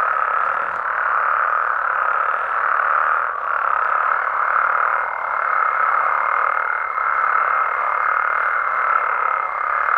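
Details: Frogs and toads in Mexico chorusing after dark, a steady dense wash of mid-pitched croaking with small swells in loudness and a faint thin higher tone joining in the second half.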